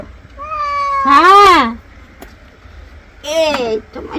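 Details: Angry pet cat during bathing lets out two strained meows: a long, steady cry swelling into a loud arched wail, then a shorter falling meow after a pause.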